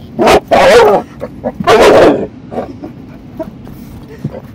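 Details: Female American Staffordshire Terrier attacking windshield wipers she dislikes: two loud, rough barking bursts in the first two seconds, then softer yips and snuffles.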